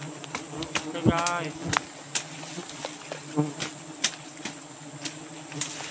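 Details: Rainy-season nest of giant honey bees in Borneo: a constant low buzzing drone with frequent sharp taps and clicks, plus a brief rising voice-like sweep early on.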